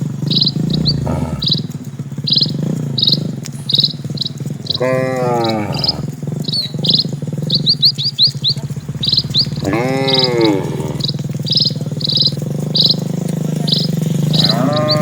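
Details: Dozens of cattle walking slowly across a quiet rural village road; two drawn-out harmonic moos, around five and ten seconds in, over a steady low rumble, while a bird repeats short high chirps throughout.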